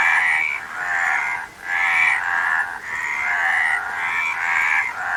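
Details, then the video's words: Several frogs croak together in loud, nasal, buzzy bursts lasting about a second, pausing briefly between waves of calling. "Frog Sound"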